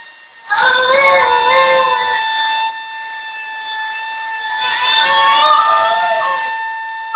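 A Basenji yodels along with a vacuum cleaner, its wavering voice rising and falling over the motor's steady drone.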